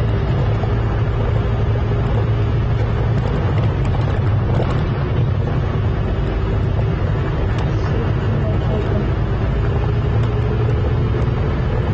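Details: A steady low engine drone runs throughout, with faint voices in the background. No animal calls can be picked out.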